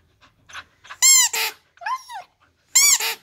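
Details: Husky singing in short bursts: two loud, harmonic yowls with a slightly arched pitch, a lower wavering whine between them, and a few soft squeaks, all within about three seconds.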